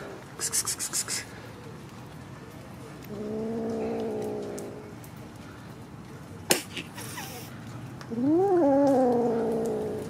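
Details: A young kitten calls with a flat, level meow, and after a sharp knock a louder meow that rises quickly and then slides down. Scattered tapping and rustling in between.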